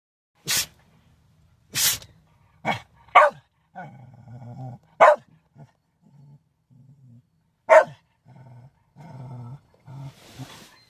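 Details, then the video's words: Shetland sheepdogs: several sharp broadband sneeze-like bursts, then low rumbling growly vocal sounds in short bouts, the bursts spaced irregularly. "Shelties sneezing and howling"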